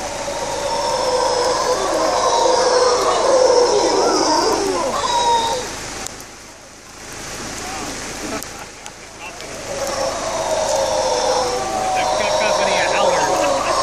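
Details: Several howler monkeys in Panama, one carrying a baby on its back, join in a rough, booming chorus of drawn-out, grating roars that dips into a short lull midway before building back up, reacting to the rain over a steady hiss of rainfall.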